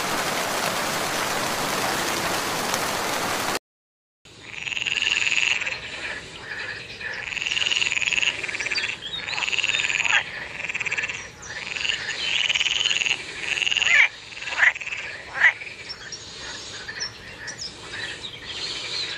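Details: Frogs or toads croak in the rainy season, in a dense, fast chorus of nasal, rasping notes after a brief burst of rain-like hiss.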